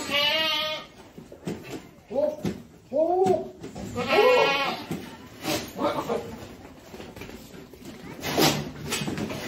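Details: Boer goats on a farm, several bleats: a long harmonic wavering cry at the start, then shorter bleats around three and four seconds, with music and farm noise in the background.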